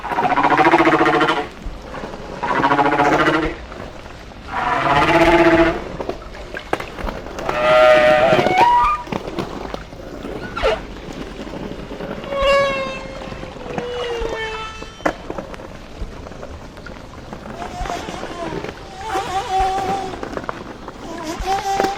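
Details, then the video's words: Hawaiian humpback whale song, sung in shallower water so deep booming echoes are faint; loud harmonic moaning blasts about every two and a half seconds, followed by gliding whistled tones and softer falling cries. "This is a Hawaiian humpback song."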